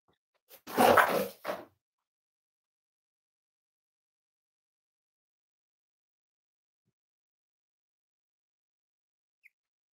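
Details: A Cavalier King Charles Spaniel puppy from a six-week-old litter lets out one short, harsh yelp or bark with a quick second burst just after, then near silence fills the rest of the moment.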